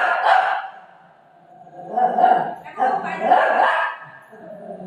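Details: Golden Retriever dog playing with its owner; three loud, rough bark-like bursts, one near the start and two close together about two seconds later, with short quiet gaps between them.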